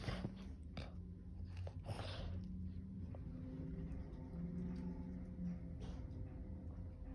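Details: Two dogs indoors, Kumo the Keeshond and Sully the Boston Terrier, tussling in a playful game of tug; low, rumbling growls with steady droning harmonics run throughout, broken by scattered thumps and chewing noises.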